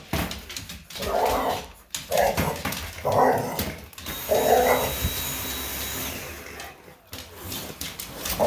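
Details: Hazie, an English Bulldog, reacting to a vacuum cleaner indoors: four short, gruff barks roughly a second apart, then a pause, over the steady whine of the running vacuum, with a woman's voice near the end.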